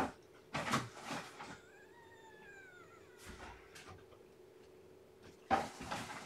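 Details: Lethargic newborn kitten whose weight has dropped, given feeding and warmth since she has no litter pile to burrow into; one drawn-out, slightly falling harmonic mew lasting over a second, framed by bumps and thuds of handling.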